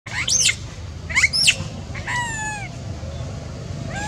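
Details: A little monkey screams alone while its mother does not care for it: high, shrill sweeping cries with bright harmonics, two rising bursts in the first second and a half, then longer wavering tones and a final short cry.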